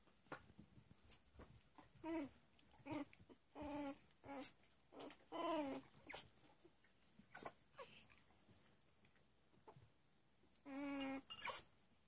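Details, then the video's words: Three-week-old Cavalier King Charles Spaniel puppies playing indoors, giving repeated high squeaky squeals and whines in short bursts, some rising and falling, with a longer whining squeal near the end and soft rustling between calls. "3 week old Cavalier puppies playing."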